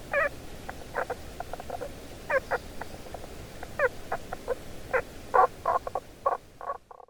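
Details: A hidden Tago's brown frog calling from underground beneath stones gives short, muffled croaking notes, some single and some in quick runs of two or three.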